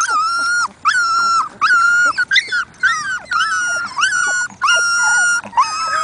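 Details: Labrador Retriever puppies whining for attention: a run of high, tonal whines with rich harmonics, each held about half a second and repeated roughly every second, nearly continuous, with no other clear sounds.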